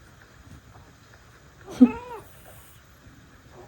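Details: Domestic cat, one of five rescue cats sharing a home, reacting to cat sounds played from a smartphone; a single short meow with arching, bending harmonics lasting about half a second, set against a quiet indoor background.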